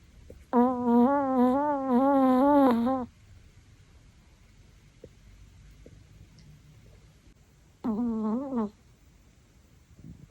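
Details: Chihuahua snoring loudly with a melodic, whistling tone while asleep indoors; a long wavering tonal snore of about two and a half seconds, then quiet breathing and a shorter wavering snore near the end.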